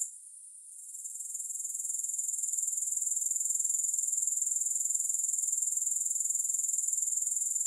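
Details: Grasshopper sound without music: it opens faint and hissy, then swells over about two seconds into a loud, steady, very high, rapidly pulsing trill that continues to the end.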